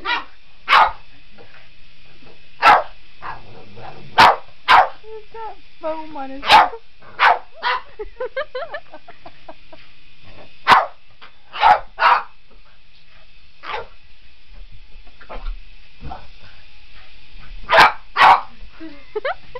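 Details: Otis, a Boston Terrier, chases a remote control helicopter, giving sharp, loud barks every second or two, sometimes in quick pairs, over the steady high whine of the toy's rotor, with a few brief human voices.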